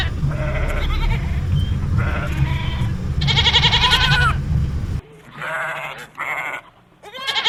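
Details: Goats bleat in repeated harsh, quavering calls over a loud low rumble of background noise, which cuts off midway, leaving a few clearer bleats against a quieter background.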